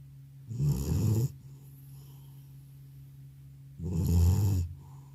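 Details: Loud snoring from an old domestic cat deeply asleep after returning from a vet visit; two low, rasping snores about three seconds apart, with quiet pauses between and a steady low hum in the room.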